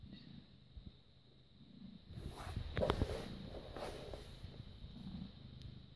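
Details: British Shorthair cat, born 18 August 2010, filmed 6 May 2017 at 21:55 while purring and giving kisses; a low, rough rumbling purr swells in the middle seconds amid soft clicks and handling noise.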